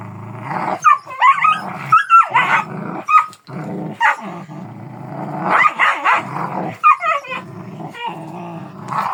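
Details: Kangal dog in a sustained bout of deep, harsh barking mixed with rumbling growls, the barks coming in quick irregular clusters over a continuous low growl.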